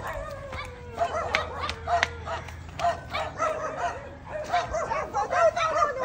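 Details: Belgian Malinois puppy, 4 months old, out on an exercise walk; short high yipping barks in uneven bursts, with people talking nearby.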